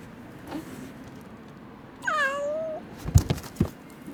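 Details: A single drawn-out, falling meow from an abandoned kitten left two days in -11°C snow before rescue, followed by a few soft knocks and thumps nearby.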